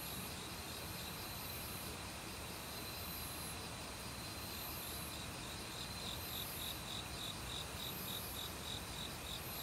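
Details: Autumn cricket chorus from a forest, recorded without professional gear: fast regular pulsing trills, a thin ringing higher whine, and steady valley stream water underneath.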